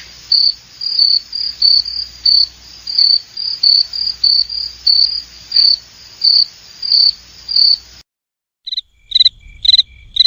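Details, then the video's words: Cricket chirping in short, bright trills at a high pitch, repeated about every half second for eight seconds, then a brief silence followed by a few lower, separate chirps with faint low rumble. "SOM DE GRILO - SOM DOS GRILOS"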